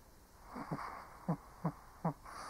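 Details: Sleeping old Shih Tzu giving short wheezy snorts, four quick breathy puffs about a third of a second apart over a soft background hiss in a quiet room.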